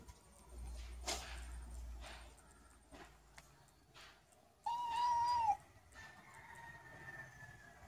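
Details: Cats cleaning each other indoors; after soft rustles, one clear, steady meow of about a second rises slightly, then falls away. It is followed by a faint, drawn-out higher tone and quiet room noise.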